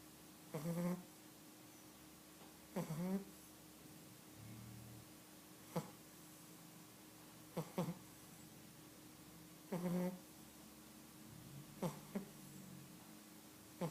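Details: Sprockett, an 11-week-old Cavalier King Charles Spaniel puppy, snores in sleep: low, rough snorts at uneven intervals of about two seconds, each a brief nasal rasp, in a quiet room.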